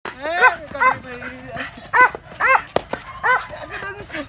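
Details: Dog being trained to become excited and bite, giving a string of sharp, harmonic barks roughly every half second, some with a short falling whine between them, amid close human voices.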